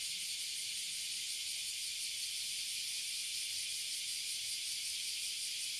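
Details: Oily Cicadas and Bear Cicadas crowd a tree in Toyohashi City, Japan. Their combined droning is a constant, piercing, hiss-like buzz that stays level from start to finish.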